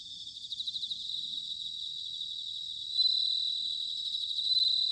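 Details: Autumn bell cricket song from Sanuki, Chiba, Japan: a rapid high pulsed trill, then a clear sustained ringing tone that brightens in the second half, set against a continuous high chorus of other insects.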